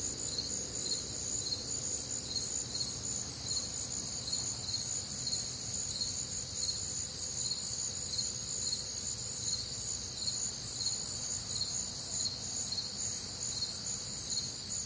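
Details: Crickets with other nocturnal callers on a warm humid summer night in the Midwest, a continuous high trilling chorus with regularly spaced brighter pulses throughout.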